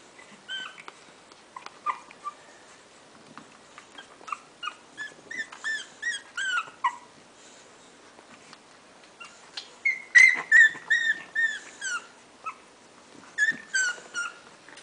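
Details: A litter of six English Bulldog puppies, four female and two male, give high, thin whimpers and squeaky yips in quick, uneven bursts.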